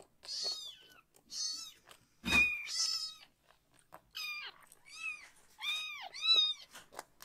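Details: Rescued young kitten, one of three siblings still needing toilet help, crying loudly indoors while its lower body is washed; high arched harmonic meows in bursts, some rising then falling, with splashing and handling noises between cries.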